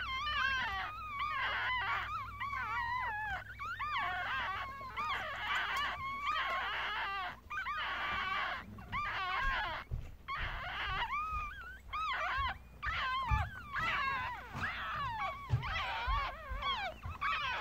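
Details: Yorkshire Terrier puppies born the day before, five in the litter, recorded with a Galaxy S7; dense overlapping high squeals and thin wavering wails from several pups, almost unbroken, with a low hum and faint rustling.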